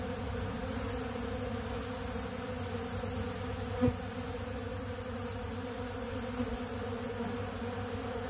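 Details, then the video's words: Steady droning of many honeybees feeding on ultra bee pollen from a big blue pollen feeder, a constant low hum with banded overtones and a single soft tap midway. "Therapeutic Treatment Sounds Of The Honeybees"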